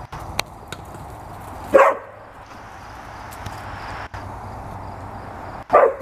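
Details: Two red standard poodles, Cayenne and Clifford, playing together with a ball; two short, sharp barks about four seconds apart stand out over a low, steady indoor hush with a few faint knocks.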